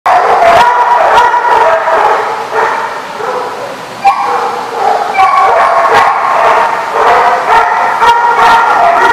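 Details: Many dogs barking together at The Barking Lot, recorded 26 June 2015: loud, dense overlapping barks and yips at varied pitches, nearly continuous with brief dips, about two barks per second.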